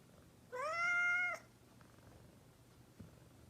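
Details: Single clear meow from a mischievous pet cat indoors, held for nearly a second with a slight rise at the start, then quiet room with a low hum and one soft tap.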